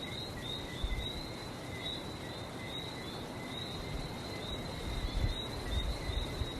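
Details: Seaside chorus of frogs on Barbados: an unbroken high whine with a faint upper overtone, gently flickering in strength, set against rolling low surf noise that swells toward the end.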